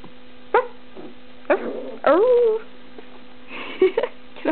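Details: Ruby, a pet dog in a small room, barks after a telling-off while another dog, Molly, is around; short sharp barks and one long sliding yowl, then quieter yips, against constant mains hum.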